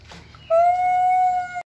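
A monkey gives one long, steady, clear-toned call lasting just over a second, level in pitch and rich in overtones, ending abruptly.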